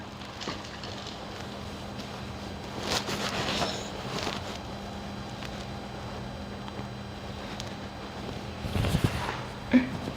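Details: Soft scratching and rustling from grooming, with a steady low hum, brief clicks and a few muffled thumps, and no animal voice heard.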